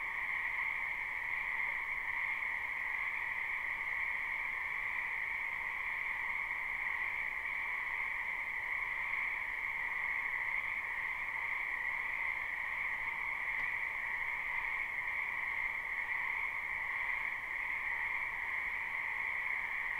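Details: Spring wetland frogs croaking en masse in a live, unlooped recording: a continuous, unbroken droning trill at two stacked pitches that holds level throughout, with faint hiss beneath and no other clear sounds.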